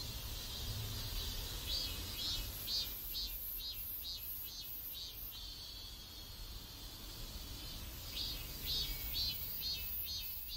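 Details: Cicadas singing in a neighborhood in South Korea: a steady, high-pitched buzzing chorus broken into rhythmic pulsing bursts, swelling and easing over the clip above a low background hum.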